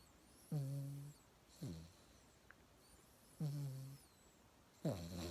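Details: Mixed-breed house dog Yangyang asleep and snoring; two smooth low humming snores alternate with short gravelly rasps, roughly one sound every second, with faint hiss and a tiny click in a quiet room.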